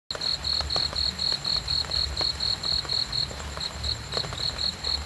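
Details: Cricket chirping in a steady series of short, bright pulses, about four per second, with a few brief dropouts; a soft low rumble runs underneath throughout.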